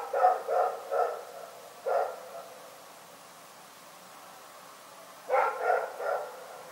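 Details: A dog called Rex barking in the night: four quick barks and one more, a silent stretch of about three seconds, then a fresh burst of three barks.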